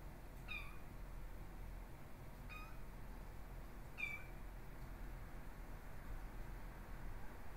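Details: Exotic Shorthair x Ragdoll kittens, born 15 August 2022, nursing from their mother indoors; three thin, high mews with a falling tail, spaced about two seconds apart, over a quiet low room hum.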